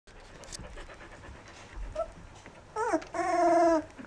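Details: Rough Collie puppies, 14 days old: a brief wavering whine rises and drops, then a sustained, tonal, rich whimper holds for about a second before trailing off, against an otherwise quiet background.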